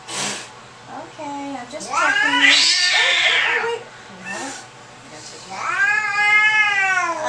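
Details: Domestic cat angered while being examined by a vet, giving a low growling moan that swells into a long harsh yowl, then a rising wavering wail at the end, with brief speech and shuffling between.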